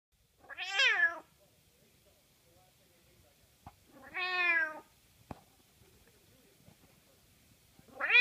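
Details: A blind cat meowing indoors: two drawn-out, high meows roughly three seconds apart, each rising then falling, with a third beginning at the very end. Quiet background with a few faint clicks between calls.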